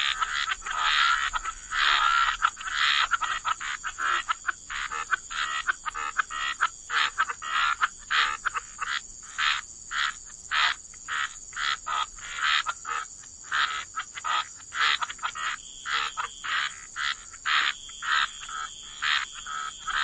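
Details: Croaking frogs at the waterside: raspy bursts, crowded at the start, then settling into a steady rhythm of short croaks roughly every half second, backed by a constant high whine.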